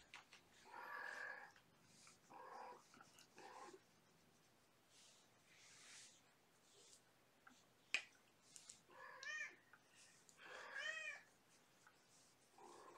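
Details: Kittens from a five-kitten litter born April 14, mother cat Gamora, winding down at bedtime with lap time and play; faint scattered mews, two clearer wavering harmonic meows near the end, soft room noise and one sharp click.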